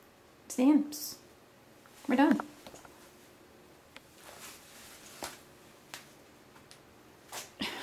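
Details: Stanley the pet cat, back from a stroller walk indoors, lets out two short bent meows about a second and a half apart, followed by quiet room tone, faint clicks and a person coaxing him.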